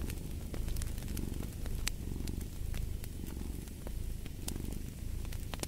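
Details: Contented cat purring in a deep, even rumble with soft breath-paced surges, accompanied by steady fireplace crackling and occasional sharp pops.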